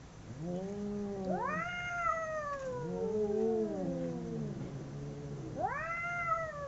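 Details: Two domestic cats fighting, howling at each other: long, wavering, drawn-out yowls that overlap, one voice low and steady while another swoops upward into a higher rising-then-falling wail, with a fresh rising howl near the end.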